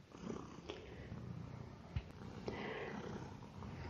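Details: Domestic cat, a tolerant, easy-going male house guest, purring while eating indoors; low, steady rumbling purr with a few soft clicks and chewing or sniffing noises.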